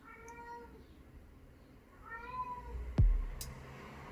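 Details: A male house cat wails twice, each a long arched howl, seemingly because he wants more attention. A sharp knock or thud follows the second cry.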